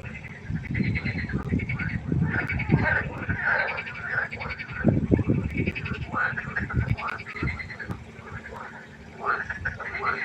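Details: Frogs calling at night by a pond: a dense chorus of overlapping harsh croaks with nasal, harmonic tones, under heavy low thumping and rumbling noise in the first half, then steadier croaking with brief quieter gaps.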